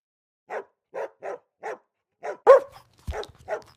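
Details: Golden Retriever puppies barking: a series of short, light yaps spaced about half a second apart, then a louder, more tangled burst of overlapping barks near the end.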